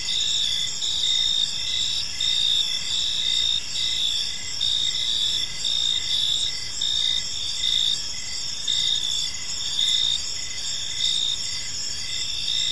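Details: Crickets chirping in a peaceful park as evening unfolds, a steady high trilling chorus pulsing in bursts roughly every second, with several overlapping callers and a faint low background hiss.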